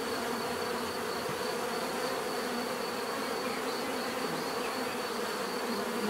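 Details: Bee swarm sound, natural and unbroken: thick low droning buzz of numerous wings, steady in loudness, accompanied by a quiet, regularly pulsing high note.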